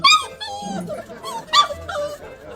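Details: A young Guangxi native hunting dog with a rabbit-like tail and a bit of temper gives short, high, tonal yips and whiny squeals that rise and fall, in two bursts about 1.5 seconds apart.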